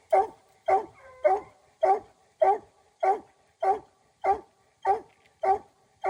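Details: Raccoon-hunting dog giving a rapid, regular run of barks, about eleven sharp, chesty calls at just under two per second, each with a sudden onset and quick fade, against an otherwise quiet background.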